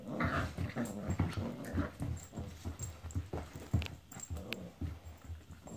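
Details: Two Italian greyhound brothers play together indoors, one a newcomer. Low, rumbling growls pulse in quick, uneven bursts, with a few brief higher yelps and scuffling sounds in a small room.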